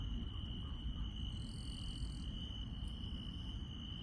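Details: Night insects in rural countryside give a continuous high-pitched trill, joined midway by a brief, brighter buzzing note lasting under a second, all set against a heavy low background hum.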